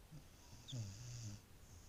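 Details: Boris, a Beagle, snoring while asleep: one low, rumbling inhaled snore swelling and fading over about a second, with a faint high hiss above it in a quiet room.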